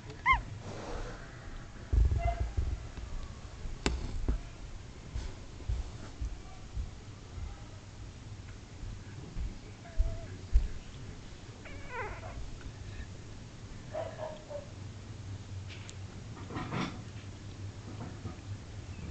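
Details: Nine Shetland Sheepdog puppies, two days old, squeak and twitch in their sleep; brief high squeaks come scattered through the recording, some bending upward, amid low background hum and faint rustles.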